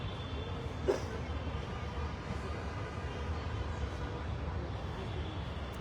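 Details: Low, steady rumble of passing traffic or a train with a brief knock near one second; no animal voice is heard.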